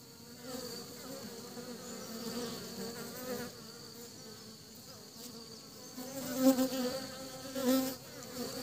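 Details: Honey bees bringing pollen back to their hive buzz steadily with a low, droning hum that swells as individuals fly close.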